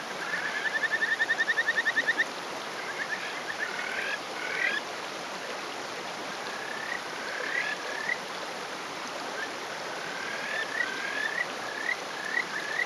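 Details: Male Kajika frog calling from a rock, rural Hofu, Yamaguchi, Japan, May morning; opens with a fast trilling burst of rapid notes lasting two seconds, then scattered rising whistled notes and short runs over constant stream noise.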